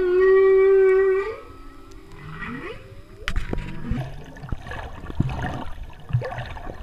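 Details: Humpback whales singing off the Big Island of Hawaii, recorded while freediving during the 2015 spring equinox total solar eclipse: a loud, steady harmonic moan lasting about a second, then quieter upward-sweeping whoops, followed by scattered low grunts and clicks.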